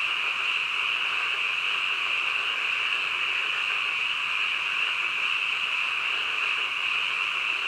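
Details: Continuous nighttime chorus of frogs, recorded at midnight, heard as a thick, even trill with individual voices blended into one sustained hum.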